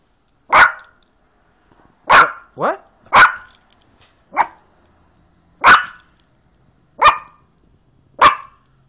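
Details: Playful Yorkshire Terrier giving eight sharp, high-pitched yaps spaced irregularly about one to two seconds apart, one with a brief whining slide, in an otherwise quiet room.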